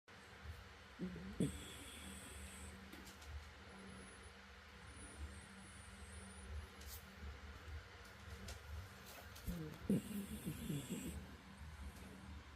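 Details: An old 12-year-old Spitz dog snores while asleep in slow, rough, low breaths that come several seconds apart; it briefly wakes and is told to go back to sleep.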